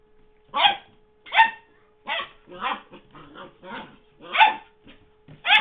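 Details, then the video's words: A young puppy at play with its squeaky toy in 2009 gives loud, clipped barks spaced about a second apart, mixed with softer grumbling yips and a constant low electrical hum. "WEE HENRY PUPPY PLAYING WITH MR. SQUEAKY"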